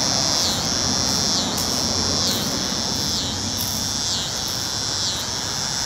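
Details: North Carolina cicada song, a loud sustained high-pitched drone broken by quick downward dips about twice per second, with faint low rumble of traffic underneath.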